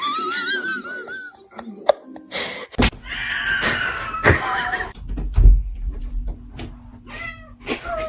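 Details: Domestic cats vocalising indoors: several wavering, arching meows at the start, then a loud drawn-out yowl with a broad harmonic sweep, sharp knocks and thumps, and further short rising meows near the end, with brief voices.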